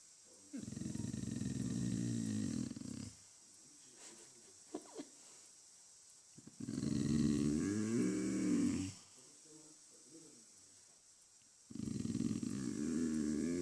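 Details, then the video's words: Dog making a weird noise: three long, low, harmonic rumbling, growl-like vocal stretches of about two to three seconds each, separated by quieter gaps with faint clicks and rustling. "Dog making wierd noise"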